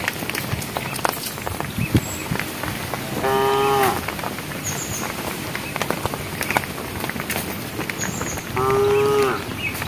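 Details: Cows in a herd walking on a project road, calling the herd: two clear, steady moos about five seconds apart, each under a second long, over constant clattering, knocking noise.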